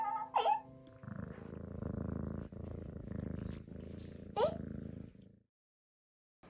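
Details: A rescued kitten, picked up by a family who took it for a young stray, purrs at home in a steady low rumbling flutter lasting about four seconds. Brief human voices are heard at the start and near the end.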